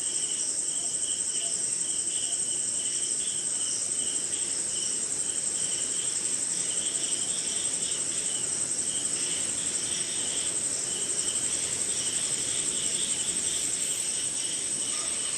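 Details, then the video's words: Crickets calling on a rainy night in the jungle somewhere in India: a continuous shrill high-pitched trill overlaid with lower pulsed chirps repeating about three times a second, with other insects and soft background rain noise. "Sleeping Night in Jungle - Cricket & Swamp! Forest Sound"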